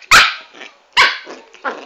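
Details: Two piercing yaps about a second apart from a small dwarf Pomeranian called Chanel, followed by a softer third bark with a slight growly edge.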